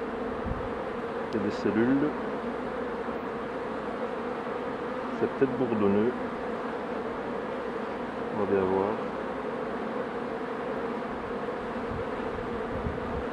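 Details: Honey bees buzzing around hives while a beekeeper works them: a steady, even low drone holds throughout, broken three times by short bursts of a man speaking.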